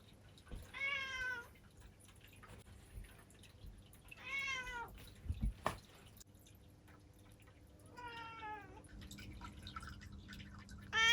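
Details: Black female cat, seven years old, kept indoors in Japan, meowing: three separate drawn-out harmonic meows, each under a second, spaced a few seconds apart, with faint clicks and dripping-like ticks in a quiet room.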